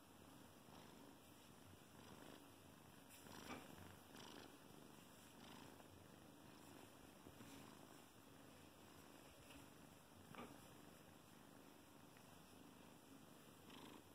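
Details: A 12-week-old female Bengal kitten purrs in a soft, steady, continuous rumble while kneading and loving on her blanket.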